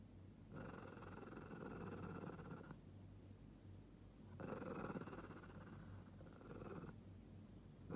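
A Lhasa Apso growls in two long, rough, rumbling bursts with a short quiet gap between them.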